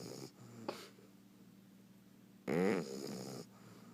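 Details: Bulldog puppy asleep, snoring indoors: a single loud, rattling, snorting snore lasting about a second, between quieter breaths and near-silent pauses.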